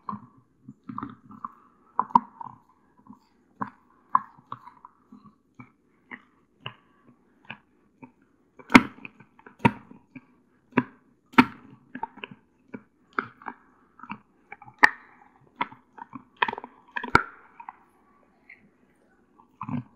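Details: Kola, a one-year-old female Doberman Pinscher living in California, USA, gnawing her favourite snack, a natural deer antler, indoors: sharp crunching bites and cracks spaced through the clip, with softer scraping between them.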